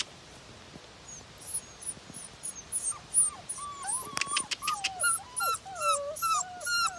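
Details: A litter of American Bully puppies whimpering: thin, high whines and squeaks that bend up and down. They overlap in a rapid stream from about three seconds on, with sharp clicking sounds mixed in.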